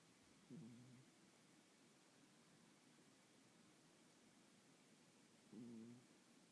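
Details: Snoring house cat, short low snorts about five seconds apart, each a brief nasal buzz rising then levelling off, with steady soft room noise in between.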